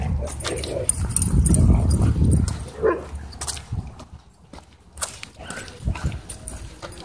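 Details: Miniature Pinscher warning off a harassing dog, a deep rumbling growl sustained for the first two and a half seconds, followed by short snaps and scuffling sounds, with indoor noise.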